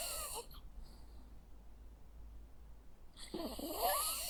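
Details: Jack Russell Terrier dog asleep, snoring indoors: a rough breathy snort at the start, a quiet pause of nearly three seconds, then a longer raspy, wheezing snore rising at the end.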